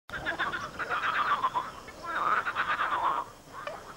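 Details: Many large frogs croaking loudly in a swamp, likely during mating season; a dense chorus of rapid rattling, pulsed croaks overlapping in two long bursts, then fading toward the end.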